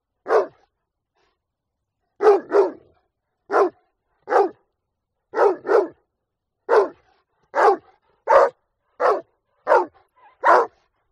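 A Rottweiler barks in short, sharp bursts, often doubled, repeated every second or so.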